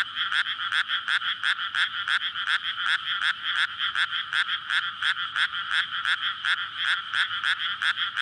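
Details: Courting frogs in a water-filled rice paddy on a May night, near housing and a road, recorded with a Sony PCM-D100; a steady stream of harsh, rasping croaks pulsing about three per second, many callers blending together.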